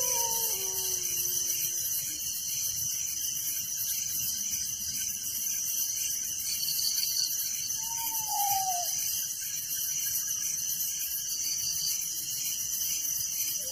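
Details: Crickets fill a village night with constant shrill, rapidly pulsed chirping in stacked high bands. Several lower whistled notes slide downward at the start, and another descending whistle comes about eight seconds in.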